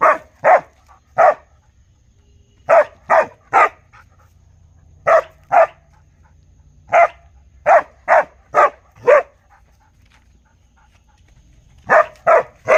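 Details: Real dog barking in rapid clusters of two to five sharp barks, roughly 140 per minute at their busiest, with brief pauses between volleys and a quiet background.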